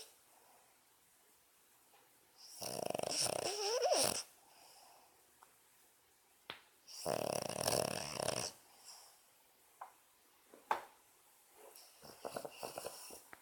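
A Boston Terrier snores with loud, harsh, rattling inhalations lasting over a second, separated by quieter pauses. Softer snorts and small clicks fill the gaps between the main breaths.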